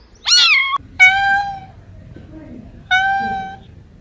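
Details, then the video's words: A cat gives a sharp, wavering meow, then two longer, level, nasal meows with a pause between them, over a faint low murmur in a small room. "Funny Cats and Kittens Meowing Sound Effects Compilation"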